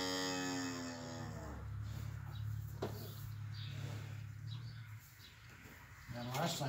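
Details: Cow (Bos taurus), moo.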